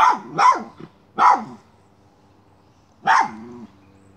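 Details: Miniature schnauzer on a chipmunk hunt, barking sharply three times in quick succession, then a pause of over a second before one more bark with a drawn-out tail; low hum in the background.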